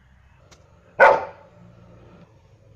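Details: A German Shepherd lets out one short, loud, gruff bark, then the room falls back to a faint low hum.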